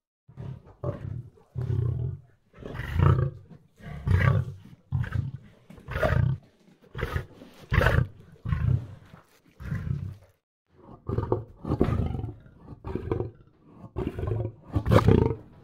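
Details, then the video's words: Lion roaring in a long series of deep, grunting bursts, each about half a second, growing louder then trailing off, with a brief pause midway before resuming. "صوت الأسد Lion's voice"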